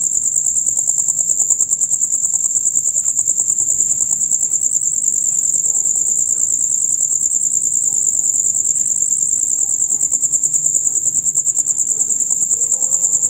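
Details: Male crickets in their usual dusk-to-dawn concert, producing a loud, fast, high chirping that pulses without pause, over a faint low background hum.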